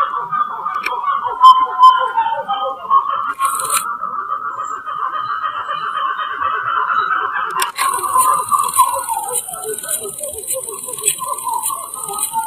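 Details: Black-fronted titi monkeys vocalizing as a group, two of them curiously watching, recorded January 2018 in the Serra da Mantiqueira at Pindamonhangaba, São Paulo. Rapid pulsing, rising and falling chorus throughout; a shrill insect buzz joins briefly and then again toward the end.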